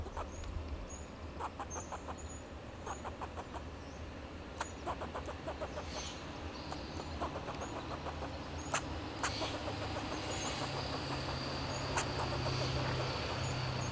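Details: Fox squirrel on a Monterey pine in Del Monte Forest, California, giving alarm calls to protect itself and its territory: sharp, clicky chucks in irregular bursts over a steady low rumble, with faint high bird whistles.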